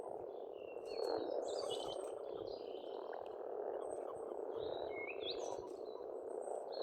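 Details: Many frogs croak together at a spring pond in Estonia, a steady churring mass of sound, while birds sing bright whistled and twittering phrases over the top.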